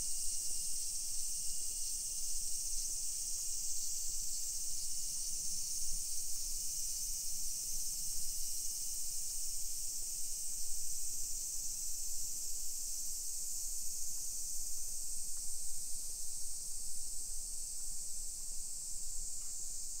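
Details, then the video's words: Summer cicadas in a hillside residential neighborhood of Nisshin, near Nagoya, Aichi Prefecture, Japan, at 1 PM on 28 July 2021. A steady, unbroken high shimmering drone runs throughout, with soft low footsteps and street rumble underneath. "Summer Cicadas Sounds"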